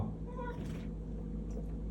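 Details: Pet cat meowing while refusing to let its owner go to the toilet; one short, high tonal meow that rises then falls near the start, followed by a person's soft voice and room hum.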